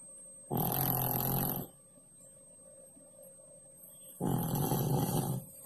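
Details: Pak Pak, a cat that loves to sleep below the kitchen stove, snoring while asleep: two long, rough, low breathy snores, each lasting just over a second and separated by a quiet pause of about two and a half seconds, with a steady faint hum behind.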